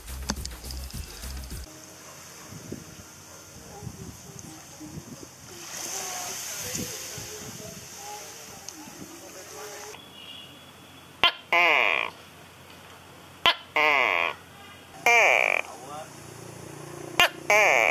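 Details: A male tokay gecko, heard in a bathroom, gives loud, barking two-part calls in a repeated series; this is its mating call and also its territorial call warning other geckos away.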